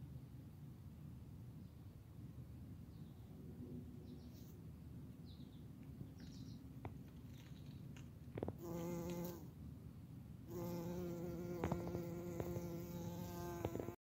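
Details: Pyrobombus bumblebee recorded 31 July 2020. A quiet background gives way to a steady, low, droning buzz that starts near the middle, pauses briefly, then returns louder and continuous to the end.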